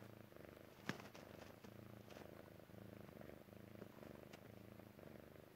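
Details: Persian Chinchilla cat purring contentedly while settling down and falling asleep; steady low rumbling purr pulsing rhythmically throughout, with a single sharp click near the first second.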